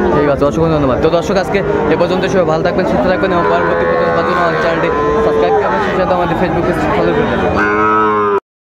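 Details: Sahiwal cattle, bull calves for sale at a Comilla cattle market, Bangladesh, 18 October 2024. Several drawn-out, rising and falling moos overlap amid loud crowd chatter and market noise, with a final sustained low moo near the end.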